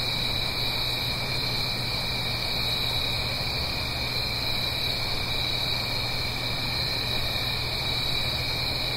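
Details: Autumn night chorus of crickets in the Blue Ridge Mountains above a gentle stream, recorded in stereo: continuous shrill trilling layered in two high bands, never pausing, with faint low hum and steady broadband rushing beneath.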